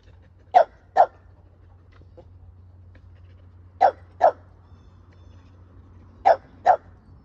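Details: Pet male Keeshond giving hugs and kisses to his owner, barking in quick pairs of short sharp yaps, three pairs spaced about three seconds apart, with a low constant hum underneath.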